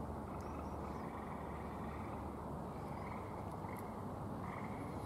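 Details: Gray tree frogs call in the background at a Michigan vernal pool, a steady rough trilling chorus under a constant low rumble, while a hognose snake is handled and released.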